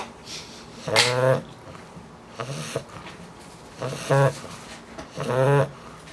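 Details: A female English Bulldog puppy snores in low, buzzy, rattling breaths that repeat about every second and a half.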